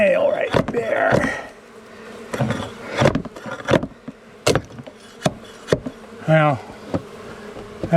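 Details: Angry honey bees from a long-time wall colony during a nighttime rescue cutout: a continuous low buzzing hum under frequent sharp knocks and tapping, a man speaking briefly at the start.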